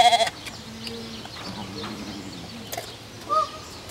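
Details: Deer sounding like goats while eating peanuts from a woman's mouth: soft, nasal, goat-like bleats held for about a second each, quiet against background hiss, with a brief sharp click near the start.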